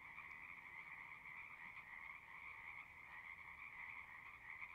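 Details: Frog chorus from a pond in a horse pasture, Zoom 6 recording: continuous overlapping trills forming a steady buzzing band of sound, heard from some distance with low background rumble.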